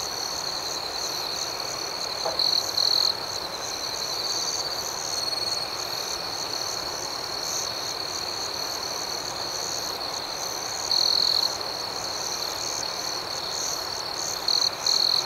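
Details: Night cricket chorus: a dense, continuous high-pitched ringing that holds steady throughout, with a few brief louder trills standing out near the start and end. No other sounds stand out.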